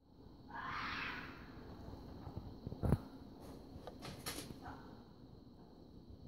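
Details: A fox in a forest during an unusually warm February week in early spring gives a single harsh, rasping scream, its mating call, followed by a few clicks and knocks; it came closer with each call.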